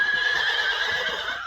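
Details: Friesian horse whinnying during a first lunging session, a loud, shrill, sustained tone held steady for over a second with a rich stack of overtones, ending slightly lower; little background noise.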